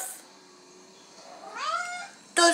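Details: Indoor female cat asking for water, as she drinks only from the sink; a single rising, then level, tonal meow, with a woman's French voice starting just after it.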